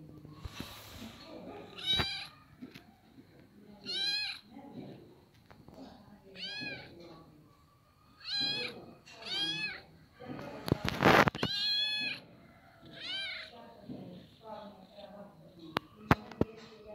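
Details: Little kitten meowing repeatedly, clear high arched mews about every one to two seconds, with a louder scraping noise near the middle and quiet background voices.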